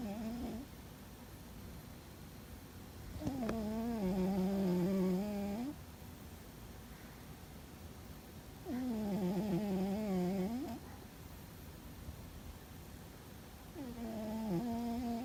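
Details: Fuzzy, a cat deep asleep and seemingly dreaming, gives a loud, rhythmic snore: wavering, harmonic, nasal tones about two seconds long, recurring roughly every five seconds with quiet breaths in between, indoors.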